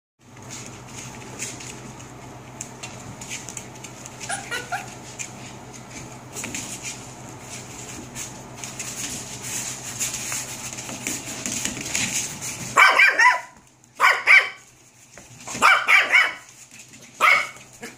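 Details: Seven-week-old puppies indoors; after a stretch of shuffling and rustling, a run of high yelping barks breaks out in several bursts during the final five seconds.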